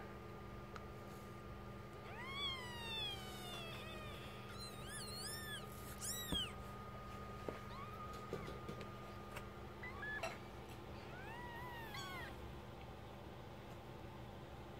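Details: Newborn kittens born Sunday, September 27th 2015 at 22.30, the mother's first litter of four, two red striped and two black striped, cared for by their mother: thin, high mews that arch up and down, in bursts, over a steady low hum.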